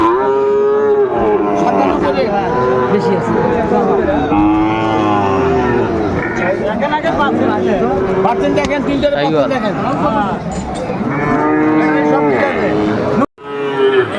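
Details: Crowded cattle market in Comilla, 6 July 2024, with Sahiwal bull calves for sale: repeated moos from several animals overlap, some arching up and down in pitch, mixed with steady human chatter and a brief cut near the end.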